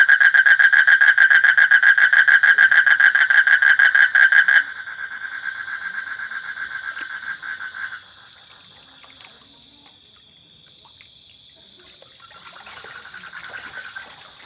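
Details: A frog gives a loud, rapid pulsed croaking trill for about four and a half seconds. It carries on more softly, fades out, then returns faintly near the end over steady, high, whining insect-like tones.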